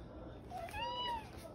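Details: Domestic cat called The OK Cat, famed for a meow resembling the word "okay", gives one drawn-out, clear, tonal meow indoors, rising gently then sliding down at the end, after a person speaks, with a quiet hum underneath.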